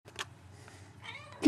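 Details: Pet Abyssinian cat, one of two female litter-mates kept in a screened enclosure, a breed its owners call talkative: a short, soft, tonal meow with layered harmonics near the end, following faint rustling, then a sharp knock at the close.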